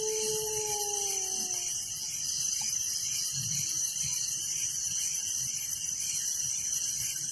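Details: Village crickets chirping at night as a continuous bright, high, finely pulsed wash of sound. At the very start two long whistled tones overlap and fade, then only the insect chorus remains.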